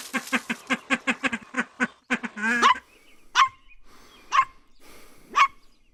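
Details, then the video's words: Puppies in a playful outdoor toy battle with their mother dog, growling and pouncing. A fast run of about a dozen short, sharp barks, then a drawn-out whining yelp and three spaced high yips. "Funny Barking Sounds"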